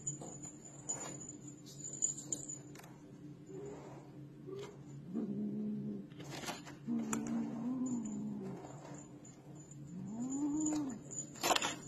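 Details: Pet cat repeating short and rising-falling meows, several in the second half, mixed with clicks, knocks and soft handling noises indoors.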